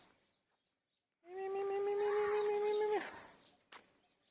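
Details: A hungry cat, shy of people, utters a long, even, drawn-out meow lasting nearly two seconds and ending in an abrupt fall, followed by a soft click.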